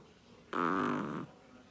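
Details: A single loud, raspy snore from Flexi the pet Chihuahua, lasting under a second and buzzing steadily before stopping abruptly in a quiet room.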